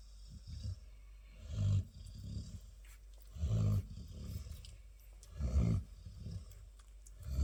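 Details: Labrador Retriever named Chilly snoring: deep, rumbling low snores roughly every two seconds, with quieter breathing between them.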